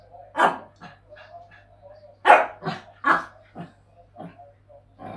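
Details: A Shih Tzu gives sharp, high barks in an irregular series, with quieter yips between, as a younger Shih Tzu wants to play while the father dog wants to rest.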